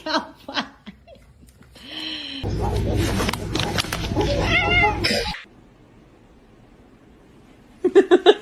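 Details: Domestic cats fighting: a few short cries, then a harsh, noisy burst of screeching and spitting lasting about three seconds. A quick string of pulsed yowls follows, with people laughing and exclaiming around it.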